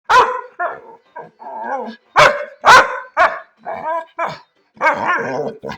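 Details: A Labrador dog vocalizes in quick, uneven bursts, about two a second: sharp barks alternate with longer, wavering, moaning woofs that rise and fall in pitch, as if trying to talk.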